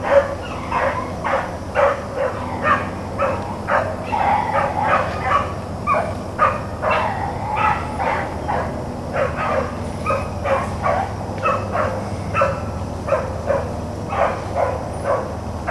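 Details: Hounds, Blackcreeks and Blueticks, trailing rabbits on April 4, 2013, give a steady chorus of short, ringing bays repeated about twice a second, several dogs overlapping over a low background rumble.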